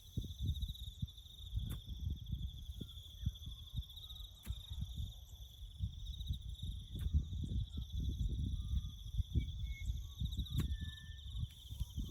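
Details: Crickets chirping in the bush during farm work building a road: a steady, high, pulsing trill runs throughout, with a fainter higher trill above it, over heavy low rumbling and occasional sharp clicks.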